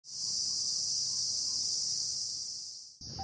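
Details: Male cicada calling to attract females, its tymbal organ driven by rapid abdominal muscle contractions; an intense, steady, high-pitched buzzing drone lasting about three seconds, cutting off sharply, then resuming more faintly.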